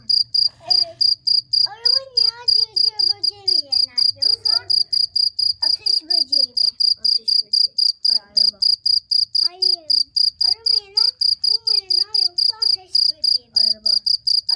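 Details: Continuous high, shrill chirps from a cricket, evenly spaced at about four a second, while a child and adults talk in the foreground for most of the recording.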